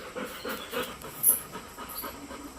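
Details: Labrador pet called Golden, playful all day, soft rapid panting, fainter and breathy, with a short click partway through.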